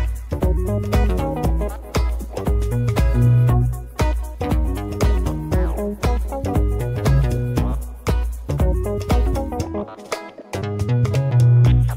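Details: Loud, bass-heavy dance music with a steady fast beat plays throughout, with a short drop near the end; no animal sounds can be picked out.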